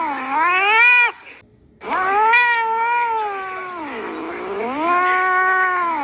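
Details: Domestic cat producing a rising meow, a short pause, then a sustained wavering yowl that sags and climbs again, rich and tonal like singing.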